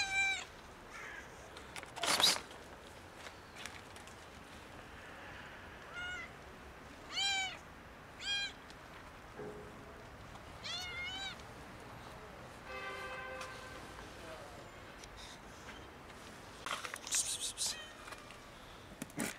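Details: A kitten and two domestic cats meow loudly while asking for food. Repeated short, bending meows come in quick bursts, then a longer, flatter, nasal cry near the end of the sequence, with occasional clattering knocks over low background noise.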